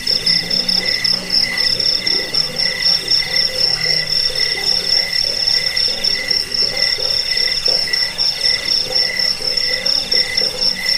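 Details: Cricket chorus used to drive off rats, aid sleep and tutor songbirds: a continuous shrill trill stays high, while a lower tone pulses in quick bursts. Soft, deeper croak-like pulses sit underneath.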